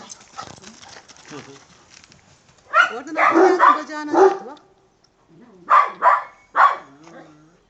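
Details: Kangal, said to be irritable and very angry, giving loud, rough barks in two groups between people talking nearby in Turkish.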